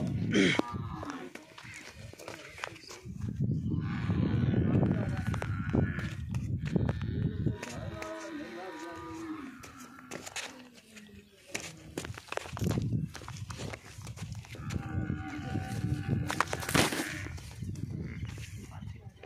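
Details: Nili-Ravi buffalo offered for sale in Punjab, Pakistan, giving a drawn-out, wavering low moo midway through, with harmonics stacked above; thuds, knocks and bursts of human voices around it at a livestock yard.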